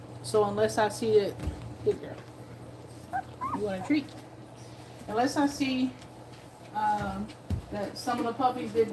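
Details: Two-week-old puppies nursing give bursts of high, wavering whines and squeals, each rising then falling in pitch, in clusters separated by short pauses, over a steady low hum.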